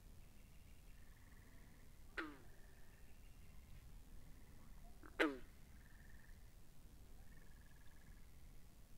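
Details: Frogs by a pond in a binaural recording: soft pulsed trills near one pitch run through the background, and two loud, sharp croaks with a falling tail break in, about three seconds apart.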